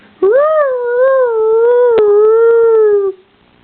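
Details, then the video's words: A single sustained dog howl lasting about three seconds, opening with a sharp upward swoop, then holding a steady, slightly wavering tone that slowly sinks before cutting off; a few faint taps behind it. "Funny dog sounds"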